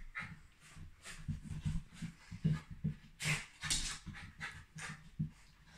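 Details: Shiba Inu dog, described as the happiest in the whole world, panting indoors: irregular breathy puffs, some with a low throaty edge, come in quick uneven bursts roughly once a second.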